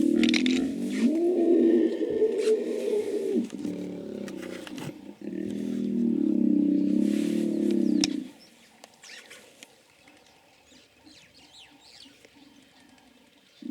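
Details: Hippos calling: two long, deep, pulsed grunting bellows of about three seconds each, the second after a short pause, then quiet with faint chirping birds and distant rustle in the background.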